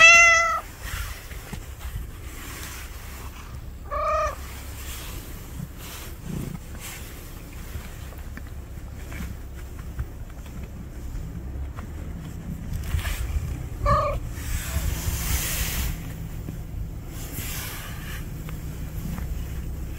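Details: Three separate meows from a room shared at last by house cat Juhwang-i and stray cat Noranggi: a loud opening mew, a softer one a few seconds later, then a quiet gap before a brief final call, with faint shuffling throughout.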